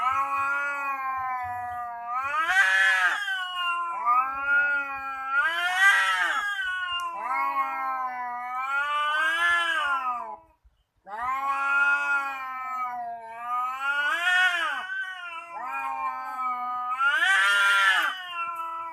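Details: Cats threatening each other: long, wavering harmonic yowls that rise and fall in pitch, swelling into louder strained wails about every three seconds, with a brief pause near the middle.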